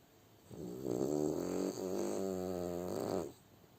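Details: French Bulldog snoring while asleep indoors: one long, rattling, harmonic-rich snore of about three seconds with a fluttering buzz, rising from quiet room tone and falling back to it.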